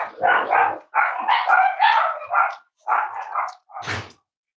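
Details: Cavalier King Charles Spaniel puppies, kept indoors at a family home and shown on a livestream, give a run of high, yelping barks and yips, about six drawn-out bursts over four seconds with short gaps between them.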